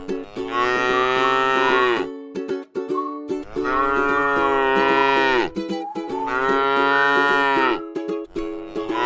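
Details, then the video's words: Three long, even moos come from a tame cow eating grass in a rice field, spaced about every three seconds, each full and harmonic; gentle plucked music fills the gaps. "suara sapi lucu jinak yang sedang makan rumput di ladang sawah"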